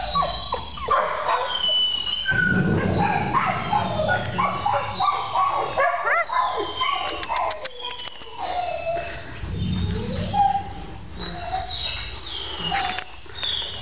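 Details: Puppies whimper and yip in a busy overlapping chorus of high, wavering whines that rise and fall, with steady background noise and occasional human voices.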